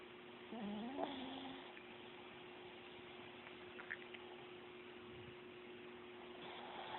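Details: Chihuahua asleep gives one rising, wavering whistled snore lasting about a second, followed by quiet room tone with a constant hum and a few faint clicks.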